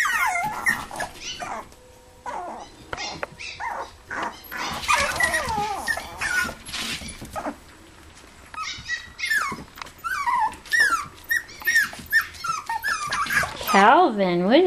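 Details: Playful toy poodles and Pomapoos in an indoor living room play area, 11/9/07: rapid overlapping yips and whines in bursts, a quieter pause midway, then wavering high cries that climb and dip at the close; music plays underneath.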